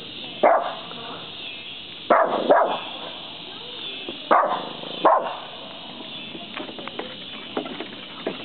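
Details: Doodle, a fierce little dog, barking at a deer at the edge of the woods; five sharp, loud barks come in pairs and singles over about eight seconds, with quieter yips trailing off near the end.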